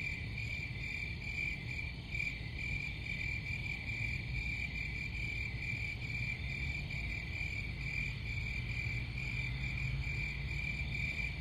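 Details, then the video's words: Continuous high, ringing cricket chirps pulse evenly throughout, layered over a broad low-pitched background rumble. "Crickets Sound"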